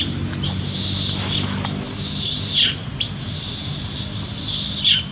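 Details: Heartbroken park monkey Sean screaming loudly after being hit and bitten hard by Jane: three long, sustained, very high-pitched wails, the last stretching nearly two seconds, each ending in a slight downward slide.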